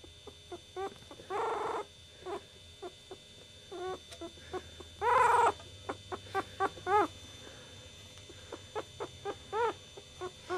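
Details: Chihuahua puppy from the litter of Goofy Rodriguez jr., Coconut and Chichi Rod, whining and squeaking in short bursts, with two longer drawn-out squeals and many brief chirp-like peeps scattered over a soft background hum.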